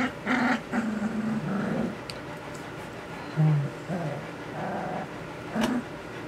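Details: Two-week-and-six-day-old puppies trying out their new voices give low, droning growl-whines in short bursts, some steady and some wavering, separated by brief pauses in a quiet room.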